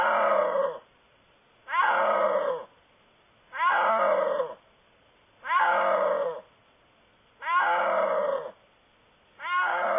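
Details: A snow leopard calling in the wild gives harsh, moaning yowls, each about a second long, repeated every two seconds.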